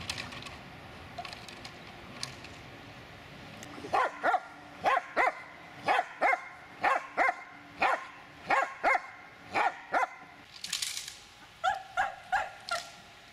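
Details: An 8-year-6-month-old Dobermann, during attack commands, gives a steady series of harsh, forceful barks, roughly one or two each second.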